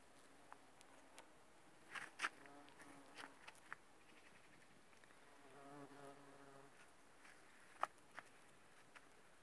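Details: Bumblebees visiting aconite blossoms produce a brief low humming drone midway, among scattered clicks and rustling taps.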